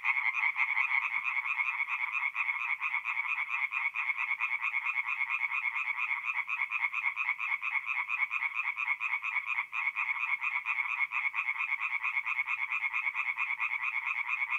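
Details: Night chorus of tree frogs at a forest pond in North-East Italy, mid-April: many overlapping rapid croaks merging into a steady, buzzy rattle that runs without pause, with barely any background noise.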